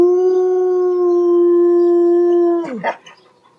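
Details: Dog howling loudly: a single long, even tone sustained for over two seconds before breaking into a short, rough, falling yelp.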